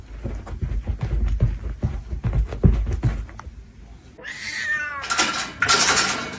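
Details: A domestic cat gives a drawn-out, wavering meow in the last two seconds, after a run of dull knocking and thumping sounds.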